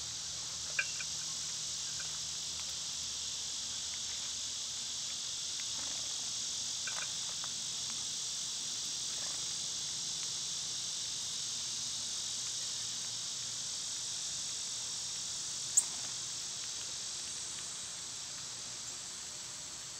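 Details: Cicadas in summer: a constant high, hissing buzz sustained throughout, with scattered faint ticks and a couple of sharp clicks.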